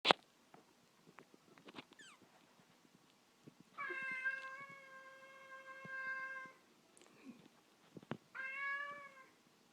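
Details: Indoor cat meowing because it wants to go outside: two long, steady harmonic meows of about three seconds and one second, each flat then slightly falling, with scattered clicks and handling noises between them in a small room.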